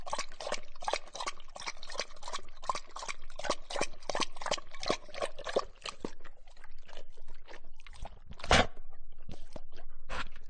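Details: Close-up dog drinking water; quick wet lapping strokes in a steady run, thinning out after about six seconds, with one louder splash near the end.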